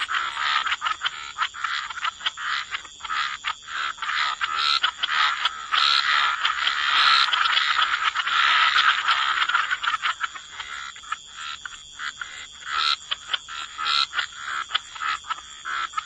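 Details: Wetland frogs in full croaking chorus, dense grating pulses rising to a packed swell around the middle and breaking into scattered individual croaks toward the end, over a constant shrill background tone.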